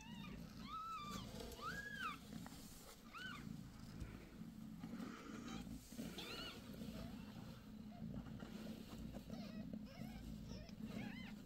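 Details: Domestic cat Bassy, a new mother with five kittens born January 6, recorded on their sixth day. Several clear, high, arched mews sound in quick succession over a continuous low purring rumble, with a voice briefly calling her name.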